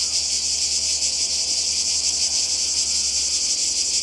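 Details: Summer cicadas by the sea in Croatia, 2020: an intense, unbroken electric buzzing with rapid pulsing, loud and level across the short stretch.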